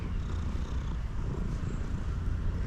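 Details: Male domestic cat purring loudly while eating; a low, steady rumble with a faint continuous hum and no other clear sounds.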